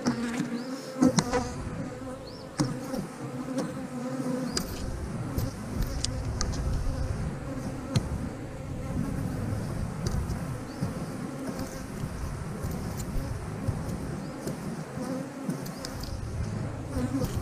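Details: Colony of honey bees in an 8-frame hive, a strong hive described as doing well, buzzing while frames holding honey and nectar are handled. A continuous low drone runs throughout, with frequent clicks, scrapes and knocks.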